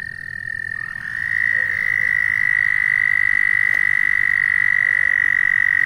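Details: Frog perched on someone's shoe, calling with a continuous, even, high-pitched trill that starts softer and grows louder after the first second, then holds steady.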